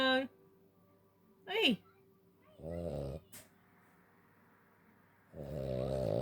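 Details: A tired Cavalier King Charles Spaniel snores while trying to sleep, in low, rasping, buzzy breaths, with a person speaking softly nearby.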